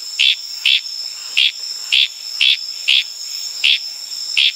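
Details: A Litoria frog in the wild on Tanimbar, Indonesia, at night repeats short, high, slightly buzzy chirps about twice a second over a steady drone of crickets and night insects.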